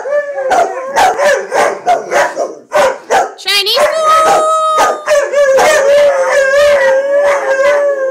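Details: Retired racing greyhound giving a roo with two other dogs joining in: rapid choppy yelps at first, then a sustained, steady, mid-pitched howl held for several seconds while the others add yips and wavering cries.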